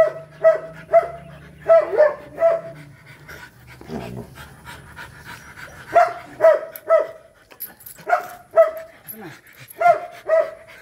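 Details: Mating Rottweiler producing paired short whines at regular intervals, roughly every second or two, with a scuffling noise in the middle and quiet gaps between.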